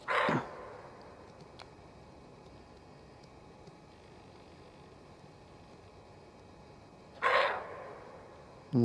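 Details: Repeated warning barks from an anxious female roe deer in the forest: a hoarse bark at the start, about seven seconds of quiet woodland, then a second rasping bark and a third beginning.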